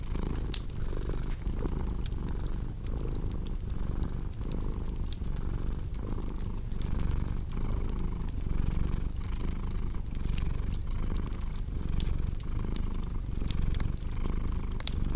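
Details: Domestic cat purring steadily, a low continuous rumble that swells and dips with each breath about every second and a half, over the sharp pops and crackles of a fireplace.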